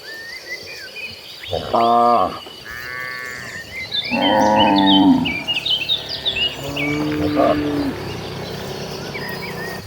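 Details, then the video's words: Hundreds of tame domestic cattle walking toward the pasture: several drawn-out, deep, harmonic moos from different animals, some overlapping, about three bellows over ten seconds, with scattered high chirps in the background. "Sounds of Tame Cows"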